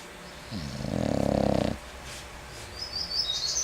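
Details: English Bulldog snoring: a single rough, rasping snore lasting about a second, with a buzzy pulsed texture, followed by quiet room noise and a faint high chirp near the end.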